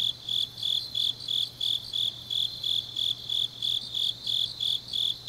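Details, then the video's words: Grass insects in Changnyeong, South Gyeongsang, on a deep autumn night: rhythmic shrill pulses that swell and fade in regular beats, with a fainter overlapping trill from other callers and a soft low hum. "깊은밤 가을 풀벌레 소리"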